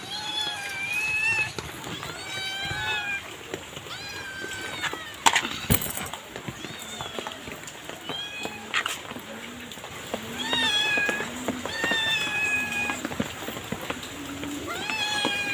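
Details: Two stray kittens fed on the street by a person who brings them food daily; frequent high, bending meows repeated every second or two, with a man's speech, rustling and outdoor urban background.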